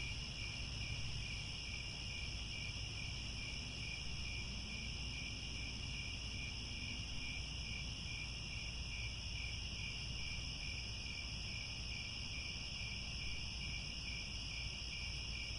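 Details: Crickets chirping at sunset in the grasslands near Angkor Wat, Cambodia: a dense, unbroken high-pitched shimmer in several layered bands, one of them a rapid beaded pulsing trill, over a steady low rumble of background noise.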